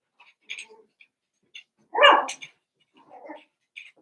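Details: A Cavalier King Charles Spaniel puppy among eight playing together, Daisy's six litter joined by Robin's two. Quiet, scattered high squeaks lead into one loud, harsh yelp, then a softer grumble.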